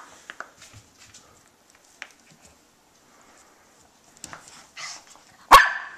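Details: A one-year-old Jack Russell Terrier and Shih Tzu mix dog gives one sharp, loud bark after several quiet seconds.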